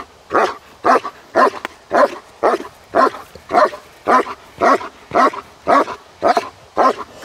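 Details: German Shepherd in obedience and protection training barking hard and steadily, about fourteen loud, rough barks in seven seconds, nearly two per second in an even rhythm, with little else audible.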